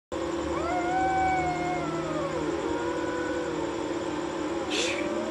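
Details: Two cats fighting at night while sitting on a wall, giving long, drawn-out wavering yowls that slide up and down in pitch, overlapping one another, with a brief hiss-like burst near the end and a steady background hum.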